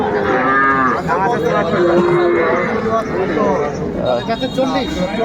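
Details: Sahiwal bull calves at a Bangladeshi livestock market on 18 May 2024, purchased by a Barishal farmer. Several overlapping lowing calls include one steady held note midway, set against crowd noise and nearby talk.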